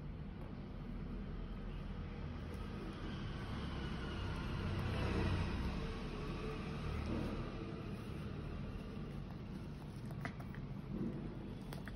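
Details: Outdoor traffic rumble swells and fades as a vehicle passes, with faint distant voices and no clear animal sound.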